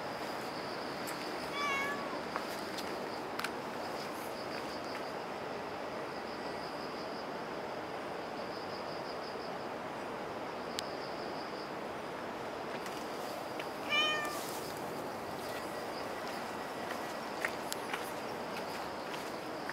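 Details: Cat at Dockyard Garden, recorded on 24 September 2016 around 6:18 in the morning; two short, faint meows, one near the start and one about twelve seconds later, over steady background hum with a high whine.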